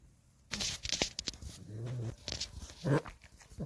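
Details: A Boston Terrier snores while sleeping in its owner's arms, in low, rumbling breaths with soft snorts between.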